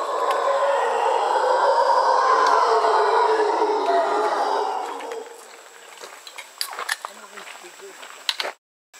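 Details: Howler monkeys in Panama: a dense, rough, roaring chorus swells and holds for about five seconds, then fades, leaving scattered clicks and rustles.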